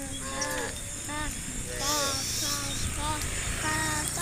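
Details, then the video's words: Herd of tame cows led along a country road toward a farm, giving short, clipped moos in quick succession, several animals overlapping, with steady hiss and a faint rumble underneath. "Leading a herd of tame cows to the farm on a country road, funny cow sounds"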